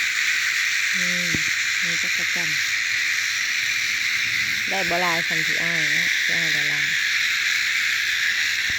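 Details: A continuous shrill buzz of cicadas holds at an even loudness throughout, with several short clusters of human voices over it in the first and second halves.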